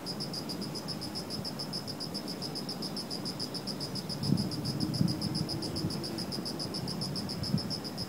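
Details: Insects in garden shrubbery on an autumn night, giving an unbroken series of quick, high-pitched pulsed chirps, evenly spaced, with low background rumble and a few faint knocks partway through.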